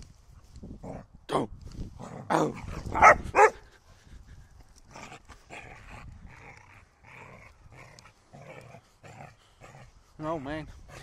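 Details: A pet dog that wants a stick gives several loud, rough barks in the first few seconds. Softer huffs follow, and a short wavering whine comes near the end, with a man pleading nearby.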